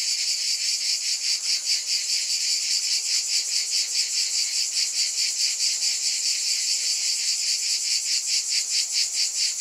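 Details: Shrill cicada buzzing, an unbroken high-pitched rasp beating in even pulses more than twice a second, alone in the recording.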